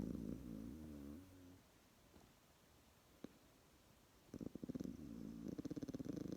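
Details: A young koala, asleep after a formula lunch, snores with a deep, harmonic rumble, then goes quiet for a few seconds; the snoring returns as a rapid, rattling series of low throaty pulses, much like a purr.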